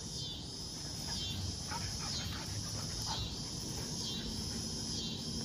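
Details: Summer cicadas singing in the background of a front yard where two puppies play: a dense, high, continuous buzzing that swells roughly once a second, with soft rustling from the yard.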